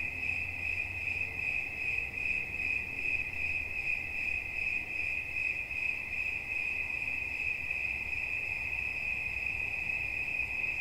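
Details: A cricket keeps up a continuous shrill chirp, evenly pulsed about twice and a half each second, over a soft low hum.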